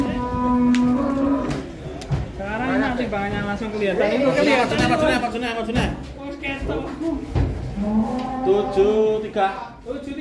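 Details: In an Indonesian cattle pen a big cow opens with a steady low moo, followed by busy overlapping speech and music as people gather around the jumbo animals.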